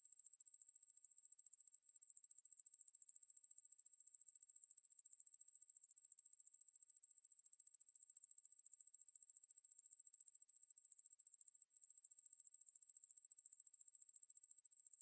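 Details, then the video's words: Ruspolia lineosa conehead katydid, recording credited to Korea's National Institute of Biological Resources, 2020: a steady, very high-pitched buzz of fast, even pulses running unbroken for fifteen seconds, with two brief dips, and no other sounds. "왕매부리, 여러번 듣기, 곤충소리"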